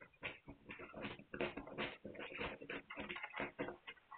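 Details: Several Hungarian Vizsla puppies, filmed 9 March 2021, make a dense, overlapping stream of grunts, whimpers and squeaks with hardly a pause, as if jostling together.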